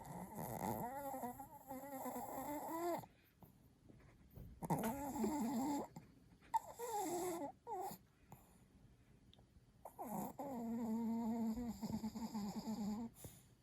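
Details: Late-night snoring from Kohaku, a Chihuahua, asleep indoors: long wheezy, nasal breaths of two to three seconds each, pitch rising and falling within each breath, separated by short quiet gaps, four drawn-out snores in a row.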